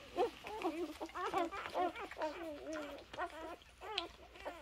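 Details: Several 3-day-old Labrador Retriever puppies on a farm give a busy run of high, wavering squeaks and whines, each short and bent up and down in pitch, overlapping at an uneven rapid pace.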